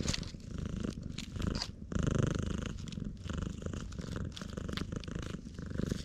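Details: Loud purr from a completely black stray cat being stroked in the middle of a road on Tashirojima, Japan, GoPro HERO8; strong rhythmic low rumble swelling and easing with breaths, little other noise.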